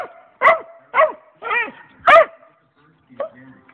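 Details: A dog barking at a rabbit, four uneven barks in quick succession, some yelping and tonal with a wavering pitch, then a pause and a faint shorter sound near the end.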